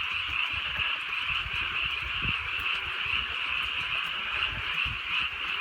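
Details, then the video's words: Drizzly countryside night with a chorus of frogs: rapid, high, overlapping croaking trills forming a continuous shimmer, accompanied by low thumps and patters of falling rain. "개구리 소리"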